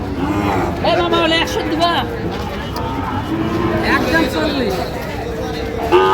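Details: Sahiwal bull calves at a busy Monday cattle market in Parbatipur, Dinajpur, Bangladesh: several drawn-out, harmonic moos rise and fall over about a second each, nearly buried under men haggling over prices and passing traffic.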